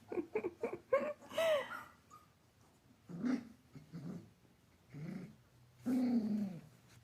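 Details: Giant Schnauzer puppy playing indoors in a small room: a quick run of short, high yelping whimpers, then pauses broken by low, rough growly grumbles, with breathing noises between.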